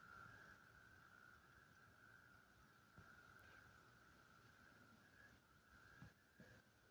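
A chorus of frogs blends into one continuous, even-pitched trill that hardly varies for the whole stretch. A few soft knocks and a low background rumble sit beneath it.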